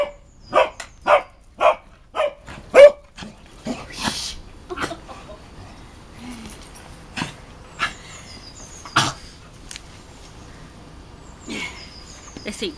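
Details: Cavalier King Charles Spaniels playing: a quick run of about six sharp barks in the first three seconds, then scattered single barks and yips spread over the rest, with quiet gaps and faint background noise between.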